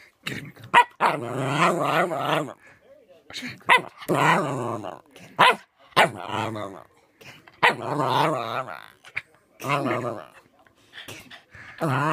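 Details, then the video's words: West Highland White Terrier puppy, a first-place puppy champion, making funny noises: loud, wavering, moaning howl-like vocalizations in bursts of one to two seconds, rising and falling in pitch, separated by short quiet gaps. "West highland Terrier funny noises"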